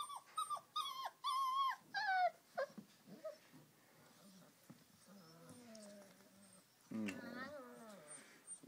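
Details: Rhodesian Ridgeback puppies of a first litter, calm after feeding: a run of short, high, wavering whines with rich overtones, then quieter scattered squeaks, low grumbles and a final wavering cry, one person speaking between them.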